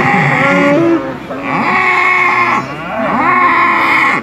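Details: Sado cattle at a 2018 cattle competition in Manir, Terengganu, Malaysia: drawn-out lowing moos with curving, wavering tones, three long calls in succession over a steady amplified background drone and crowd-event ambience.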